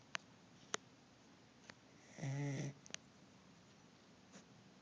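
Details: Sleeping corgi worn out from a weekend of hiking in the sun gives one low, buzzy snore lasting about half a second, with a few faint sharp clicks before and after.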